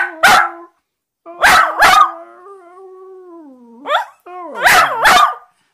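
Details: Westiepoo dog trying to communicate with its owner: sharp barks alternate with a sustained, slowly rising howl, then a final cluster of loud, warbling barks.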